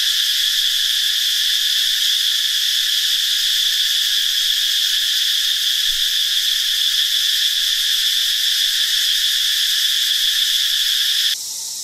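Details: Many newly hatched cicadas singing together in a forest in northeastern Thailand during the dry season: a dense, loud, unbroken high metallic drone with a bright steady core, dropping suddenly in volume just before the end.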